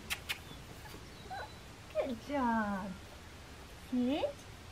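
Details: Young blue merle Australian Shepherd female whimpers indoors: a couple of soft clicks, then a long, falling, nasal whine and a shorter rising-falling one near the end, over quiet room hiss.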